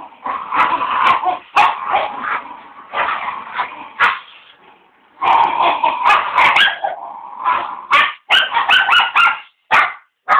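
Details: Two Border Terriers in a tug of war contest; one barks too much and loses grip. Long harsh, rumbling growls in bursts, then a string of short sharp barks and yips toward the end.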